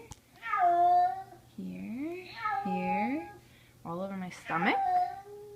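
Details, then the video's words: Frightened kitten screaming in fear indoors after being carried upstairs, summer 2014: repeated harmonic wailing meows, some rising then falling, about five cries, mixed with a person's soothing speech. "Kitten screaming"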